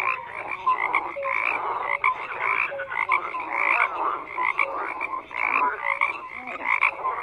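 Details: Chorus of numerous frogs, buzzy croaks layered densely with occasional short whistled notes, continuous and even.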